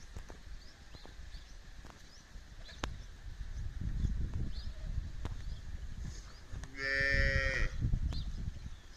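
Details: Khillari bull kept for breeding, at Dhokmod in Man taluka, Satara district: a single loud, harmonic moo late in the recording, about a second long, over low rumbling background noise and faint clicks.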